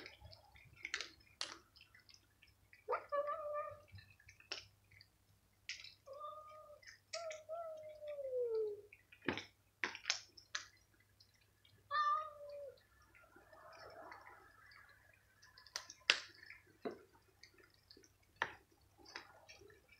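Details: Feral stray cats being fed crunchies meow repeatedly: several drawn-out cries, one long wail sliding downward near the middle, mixed with sharp clicks, rustling and a steady low hum underneath.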